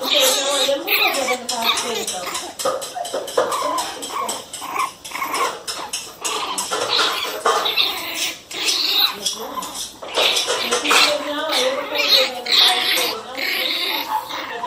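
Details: Pinscher puppies yapping angrily in a dense, almost continuous string of shrill barks that overlap one another, with people talking in the background throughout.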